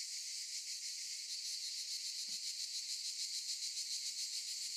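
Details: A chorus of cicadas in olive trees makes a dense, shrill, steady buzzing with fast rattling pulses; a single soft low thump breaks in briefly halfway through.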